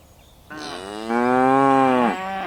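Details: One of dozens of tame cattle hopping down a hill on a mountainside. A single loud, sustained moo lasts about a second and a half, starting softer, swelling, then cutting off cleanly.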